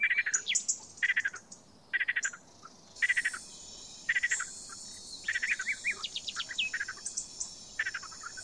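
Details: A frog calling in clusters of sharp clicking pulses with gaps between them, over a steady high insect hiss that starts partway through and continues to the end.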